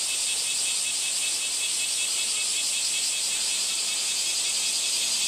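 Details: Cicada giving a sustained high rattling buzz, steady and pulsing slightly, filling the whole stretch without a break.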